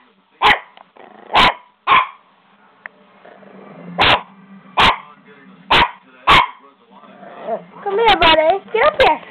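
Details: Buster the little puppy freaking out indoors: eight sharp barks spaced about one second apart, then a burst of higher whiny yelps and talking at the end.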